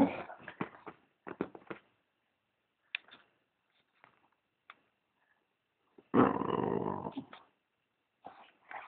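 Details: Maggie O'Brien, a British bulldog, seeks attention with short snuffly bursts, then a loud rasping growl-like moan of about a second and a half, ending with a softer grunt; faint clicks between.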